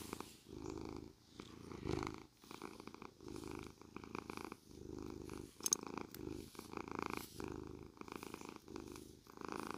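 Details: Continuous deep cat purr under brushing, recorded close up: rumbling pulses rise and fall with each breath about every second, overlaid by light scratchy brush strokes and one sharp click.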